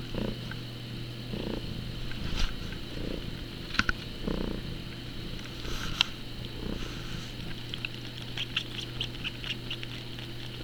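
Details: Teemo, an eight-month-old pet cat behaving like a small kitten, purrs indoors with a low, steady rumble that swells and eases with each breath about every second, mixed with light clicks and soft rustling.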